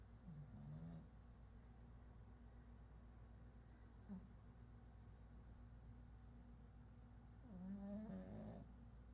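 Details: Sleeping pug named Chato gives two low, rasping snores, one at the start and one near the end, separated by several seconds of quiet breathing and a constant low room hum.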